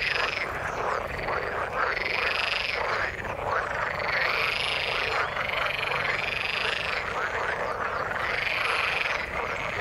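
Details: A chorus of frogs in the water with a fairly high, pulsed trill standing out over the mass, swelling in long phrases of about two seconds against constant background croaking.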